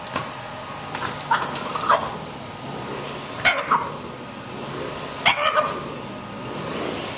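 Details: A French Bulldog barks in short, squeezed-out paired bursts, challenging a running vacuum cleaner during the household's morning routine.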